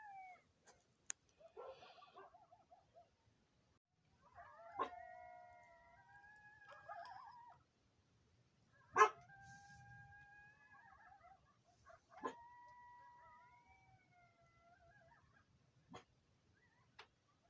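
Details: Nearby coyotes at night giving long sliding howls and whines in overlapping voices, rising and falling, punctuated by sharp single yips and several sudden loud clicks.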